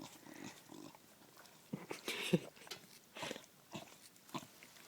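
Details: A female bulldog eats her first ice cream cone indoors. Wet smacking, licking and short snorts come in irregular bursts, with a sharp louder snort near the middle.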